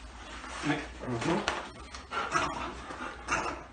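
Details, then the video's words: Buster, a pet dog that is half Australian Kelpie crossed with German Shepherd and Australian Red Cattle Dog, greets its owner arriving home indoors; high excited whimpers and yelps rise over a person talking to him in a small room. "Kelpie X German Shepherd Welcome Home For Owner"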